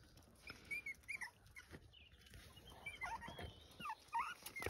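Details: Farm puppies in County Kilkenny, Ireland, squeaking at a step they cannot climb. Thin, high whimpering chirps with short slides up and down come in quick clusters, over light rustling and background hiss.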